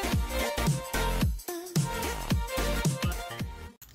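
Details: Upbeat electronic dance music with a pounding beat and bright synth chords fills the recording, with no animal voice audible.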